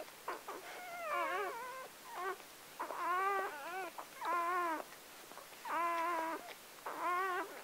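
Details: Just-born Gordon Setter pup, seventh of a litter of nine whelped by Clea on October 23, 2014, giving repeated thin, wavering cries, each about half a second to a second long, roughly forty a minute with brief gaps.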